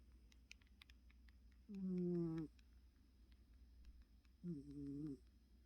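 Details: Sleeping house cat Choco, worn out, gives two buzzy, humming snores, the first longer and stronger, the second softer, with near-silence and faint ticks in between.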